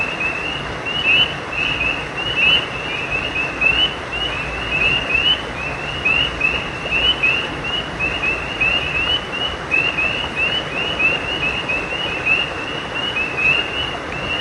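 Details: Along a creek at night, several frogs keep up a continuous string of quick upslurred chirps, crowded and overlapping with no steady rhythm, set against an even roar of moving water.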